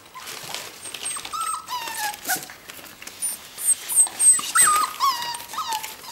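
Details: Four-week-old whippet puppies, four siblings, whine from hunger after noticing their mother eating beside the birth den. High, thin, wavering whines rise and fall, coming in irregular bursts and growing louder toward the end, with faint background clatter.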